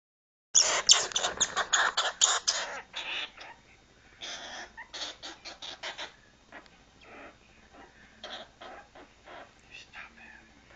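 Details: Angry female squirrel in a temper tantrum, kept indoors near a cage: a fast burst of harsh, scratchy chatters that slows into scattered rasping notes, with a few quiet later bursts.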